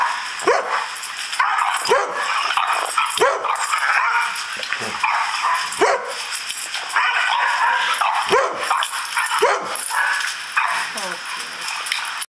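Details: Gold, a Dobermann, barks back at playback of himself barking at other dogs: short sharp barks every second or two, some doubled, under a steady broadband hiss from the playing recording.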